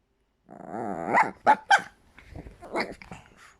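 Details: Chihuahua vocalizing indoors: a drawn-out, harmonic growling whine rising in pitch, then two sharp squeaky yaps, followed by softer grumbling growls and one more short bark in a small room.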